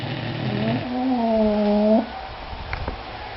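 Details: Snoring from English Bulldogs Sammy and Harley: a rough, reedy drone starts low, steps up, and holds a level nasal hum for over a second before stopping abruptly. Quiet room hiss follows.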